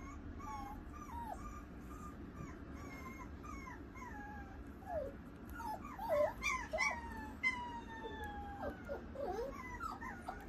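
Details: Female Pomeranian puppy giving soft, high whining whimpers that bend up and down, growing louder and more frequent in the second half, with faint squeaky chirps and a steady low background hum.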